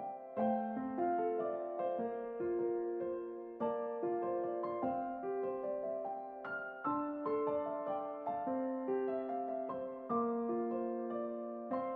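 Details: Gentle, slow electric piano music plays sustained chords and a simple melody, with no animal sound present.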